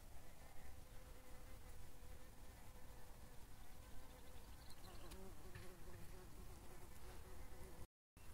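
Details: Common carder bee gives a low, steady droning buzz that wavers slightly in pitch; said to be recognisable by its sound, though some consider it a forest bumblebee.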